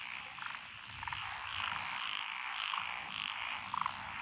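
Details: Frogs calling from lotus rice paddies in Echizen, Fukui, Japan, June 2021: a few short separate croaks and clucks over a dense background chorus and a low rumble.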